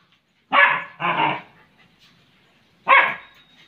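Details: German Shepherd dog playing with cushions. It gives two quick, loud, rough barks back to back, then a third bark after a pause of about a second and a half, in a quiet indoor setting.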